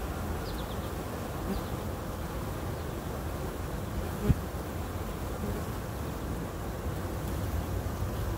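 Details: Kept honey bees humming at their hive: a dense, continuous low buzz from many insects, with one brief tap near the middle.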